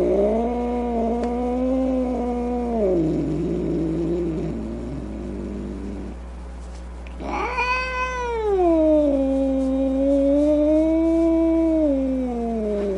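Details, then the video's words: Mad domestic cat with a steady moaning yowl, then a low, rough growling stretch. It rises again into a loud, high, drawn-out wail that slowly falls and wavers. "Cat Angry Sounds | Cat Snarling, Cat Hissing, Cat Moaning | Angry Cat Sounds"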